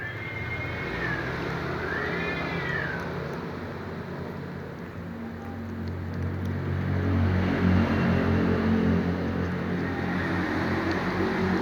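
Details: Domestic cat meowing within earshot of a black cat eating fried fish: two drawn-out, rising-then-falling meows in the first three seconds, the second longer, then only a steady low rumble and background noise.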